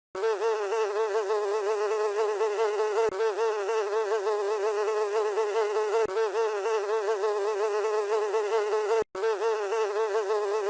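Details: Housefly buzzing in a steady, continuous drone with a slightly wavering, harmonic-rich tone, broken by a few very short cuts.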